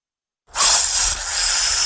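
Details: Snake hissing when threatened or frightened, a sudden loud airy hiss that starts abruptly and holds steady, high and rushing like air forced through a narrow gap.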